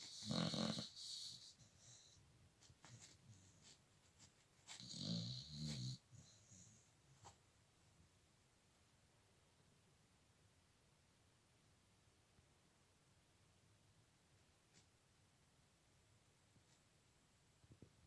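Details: Snoring from a sleeping dog, two raspy breaths in the first six seconds, each with a low rumble under a hissing edge, followed by long near-silence with faint breathing and soft clicks.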